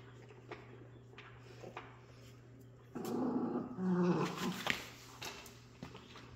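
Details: Jack Russell Terrier puppies, filmed 3/7/2024, making low rumbling growls that swell from about the third second for two seconds, with a faint higher whine near the end over a steady electrical hum.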